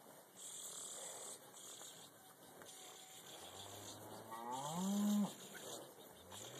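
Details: Black Angus cattle being loaded onto a trailer at a leased property for a short haul back to the main farm; one long, drawn-out moo rises and then falls near the end, over low rumbling and shuffling.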